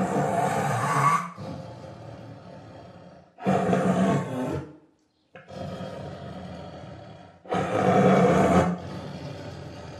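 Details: Tiger roaring in three loud, rough, deep bursts of about a second each, separated by quieter low rumbling and a brief silence.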